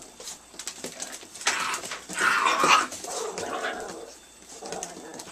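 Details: Italian Greyhound puppies at nine weeks old whining indoors: a drawn-out, wavering whimper rising and falling across a few seconds, with softer squeaks trailing off and faint scuffling.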